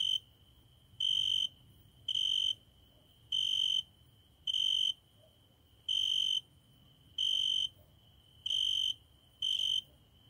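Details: At a window after dark, a cricket sings eight high-pitched buzzy chirp bursts, each near half a second, in a steady pulsing rhythm with a quiet hum between them.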